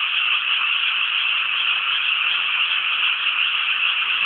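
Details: Many frogs calling together from rice fields near Inasato in Nagano City, Japan, forming an unbroken, buzzy rattling chorus that holds an even level from start to finish.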